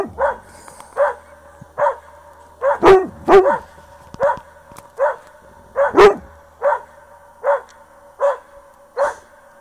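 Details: Dog barking at its own echo: a run of short, mid-pitched barks roughly every three-quarters of a second, with a few louder, harsher barks in between, each followed by a faint repeat.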